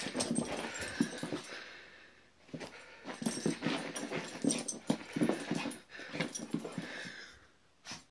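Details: Brussels Griffon dog zooming around indoors while playing keep away, making rapid wheezy snorting breaths and snuffles in irregular bursts, with short pauses, in a small room.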